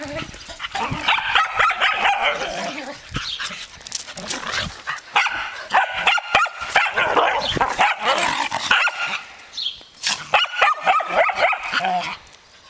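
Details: Vicky and Ayla, two dogs, yipping and whimpering in quick, high, tonal bursts, several per second, in clustered runs broken by brief pauses, with scrabbling noise between calls.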